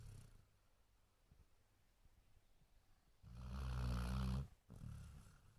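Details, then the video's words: Basset Hound sleeping and snoring: after a few quiet seconds, one loud, harsh, rattling snore lasting about a second, then a brief gap and a softer follow-up breath. "Snoring Basset Hound"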